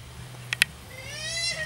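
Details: Pancake, a red female Bengal cat, gives one drawn-out tonal meow that rises then levels off before fading, preceded by two sharp clicks, over a low steady hum.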